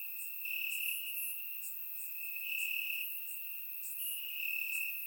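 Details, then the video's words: Crickets chirp in the grass on a warm summer night in Bulgaria, recorded by surround microphone; a bright continuous trill swells louder in waves roughly every one and a half seconds over faint high chirps. "Cricket Sounds - Crickets Chirping at Night"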